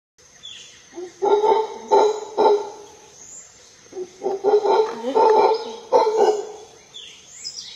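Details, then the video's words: A howler monkey in the Monteverde forest roars in deep, gruff, repeated bursts, with faint insects or birds in the background. "Mono Aullador en el bosque de Monte Verde"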